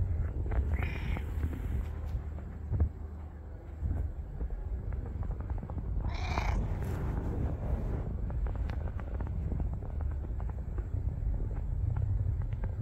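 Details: Incredibly friendly stray street cat meowing twice, a brief call early on and a longer, louder drawn-out meow later, against a steady deep background rumble of wind and passing vehicles.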